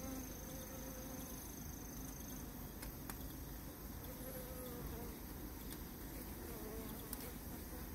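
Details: Honey bees joining forces against a giant hornet they can kill together; continuous low buzzing of many insects with a wavering hum, a soft higher whine in places and a few scattered clicks.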